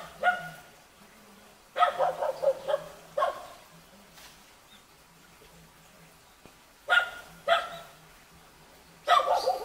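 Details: Jindo puppy met in a mountain village near Jeonju, Korea, giving short bursts of yapping barks in clusters, separated by long quiet gaps with a faint low hum underneath.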